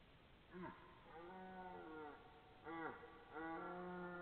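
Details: Red deer belling on 12 September 2014, possibly two animals: three drawn-out harmonic bellows, each opening with a sharp downward sweep, then a steady moaning tone, with short pauses between calls.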